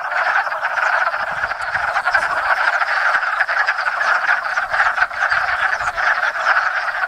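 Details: Hundreds of wood frogs, Lithobates sylvaticus, gathered at a small pond in Enosburgh in spring to mate after overwintering frozen in woodland leaf litter; a dense, continuous chorus of clucking, duck-like croaks overlapping without pause.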